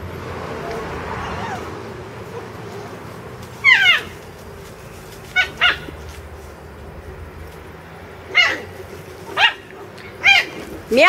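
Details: Wille, a Labrador Retriever puppy, playing with a kitten named Meow Meow; short sharp barks and yips come in spaced bursts, about six calls over eleven seconds, over a low background hum.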